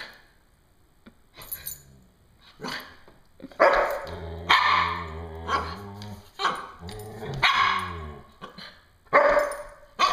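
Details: Dogs Miko, a Coton de Tulear, and Moka, a Standard Poodle, playing over a yellow ball indoors: loud harsh barks in irregular bursts, a low rumbling growl between barks midway, then more sharp barks spaced a second or two apart.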